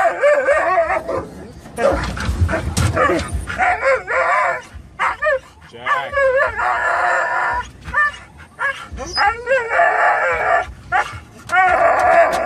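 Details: Three dogs, Norwegian Elkhound mix, Labrador mix and Teddy Roosevelt Rat Terrier, excited in a Toyota FJ Cruiser approaching PetSmart: bursts of sharp barks and high quavering whines overlap throughout, with human voices and engine rumble.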